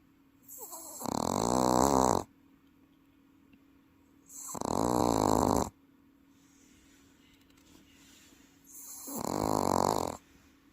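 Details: Sleeping Welsh Corgi kept as a pet in Paju, snoring with a loud, human-like rasp: three harsh, rattling snores, each a little over a second long, arriving about every four seconds with quiet breathing gaps between.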